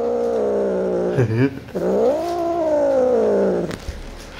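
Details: Domestic cat reacting to edible toys: one long, drawn-out tonal yowl rising and falling for over three seconds, briefly broken by a wavering dip, then fading out.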